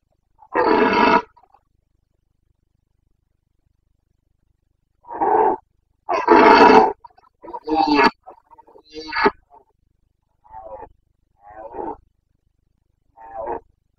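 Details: Carpathian red deer stag in the Bucovina mountains during the September 2022 breeding season, roaring (boncănit): loud harsh harmonic bellows, one long roar then a cluster of three, followed by shorter fainter grunting calls spaced about a second apart.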